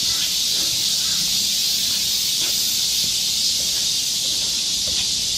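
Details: A summer chorus of cicadas in the woods of Galsan Neighborhood Park, Seoul, heard as one continuous bright, buzzing wash of sound, uniform and intense, with slight low murmurs beneath.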